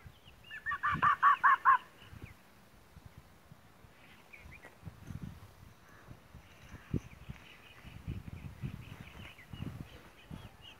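A fox gives a quick burst of hoarse, high yelps, followed by fainter scattered calls.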